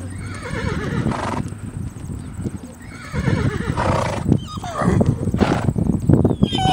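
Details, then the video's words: During a wild fight between horses, strained harmonic squeals and neighs rise out of dense low thuds and scuffling, growing louder toward the end, with a constant high whine behind. "Horse VS Horse Wild Fight"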